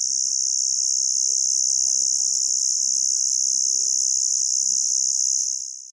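An Emma field cricket chirps in a steady, high-pitched ringing trill that barely pauses.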